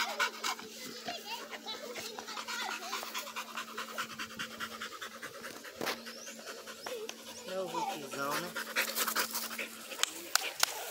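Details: Blue Pit Monster puppy during training, breathing in quick, uneven panting bursts about 100 per minute, while a person talks nearby and a steady low hum continues in the background.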